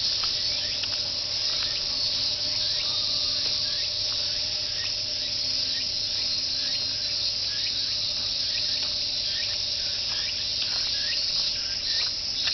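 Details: Massed cicadas calling like a choir beside the jogging course in Fuchinobe Park, their song rendered 'miin-miin'; continuous piercing high buzz holding steady for the whole stretch, scattered faint clicks, and a constant low background hum.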